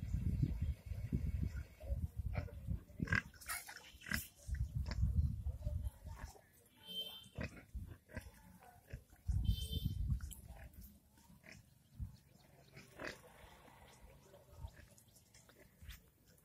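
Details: Village pigs, possibly in India, grunt and snort in low, rough bursts with a few higher squeals mixed in, apparently while eating.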